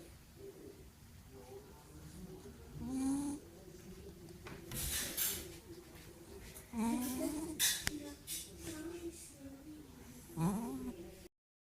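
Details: Domestic cat snoring indoors, each breath a nasal, rising snore repeating roughly every three to four seconds, with a few brief noisy rustles between breaths.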